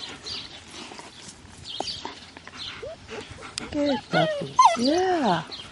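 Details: Six-week-old German Shepherd puppies, born March 28, 2010, playing in the shade beside their mother; a woman talks softly, then high arching yelps and whines break out rapidly near the end.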